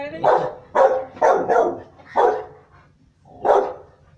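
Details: Rottweiler barking in loud, deep bursts: six barks in about four seconds, two of them nearly back to back, then a short pause before a final bark.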